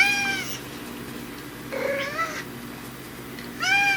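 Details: Domestic tabby cat meowing indoors, its voice said to change depending on whether dad is home: two bright harmonic meows at start and end, a lower drawn-out meow in the middle, quiet room between calls.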